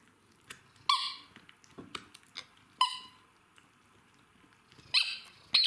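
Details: Two Jack Russell Terriers having fun together, playing; four sharp, high-pitched yipping barks with bright ringing overtones burst out at irregular intervals, separated by soft scuffling and quiet thuds of play.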